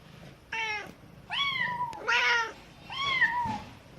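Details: Kitten crying while being taught by its mother, who answers now and then: four clear, harmonic meows about a second apart, each rising slightly then sliding down, indoors with a quiet background.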